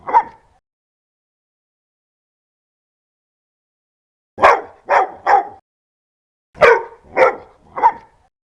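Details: Dog barking fiercely and loudly: one short bark, nearly four seconds of silence, then two tight bursts of three harsh barks each in quick succession.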